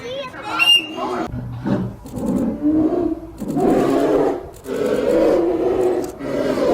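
Low, gravelly growls from a polar bear roll out in several drawn-out, breathy bursts, each swelling and fading. A brief musical tone sounds at the start.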